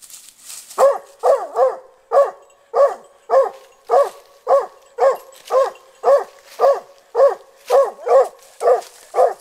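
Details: Just past one year old, the hunting dog Lily trains by facing a snared wild boar, keeping her distance. After a short pause she gives a steady run of about fifteen loud barks, nearly two per second.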